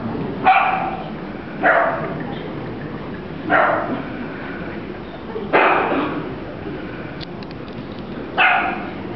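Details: Dachshund puppy yapping five times, each bark short and bright, coming roughly every one and a half to two seconds, against a low background hum indoors.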